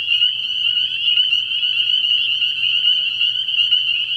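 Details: Spring peepers in full chorus at a frog pond on an early spring night, their high piping calls overlapping into a constant bright ringing, with a faint low hum in the background.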